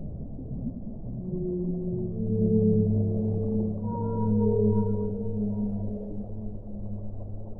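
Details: Deep, drawn-out whale moans layered with overtones, swelling and fading over several seconds, with a higher sustained tone entering midway above a low, rumbling underwater wash.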